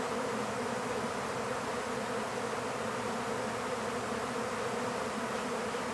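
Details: Massed buzzing of a honeybee swarm being captured in an empty hive, a steady, full humming roar without pause.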